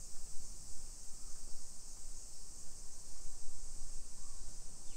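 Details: Summer cicadas in a hillside residential neighborhood of Nisshin, suburban Nagoya, Aichi, Japan, at 1 PM on 28 July 2021: a steady, unbroken high hiss-like chorus over low rumbling footstep and street noise.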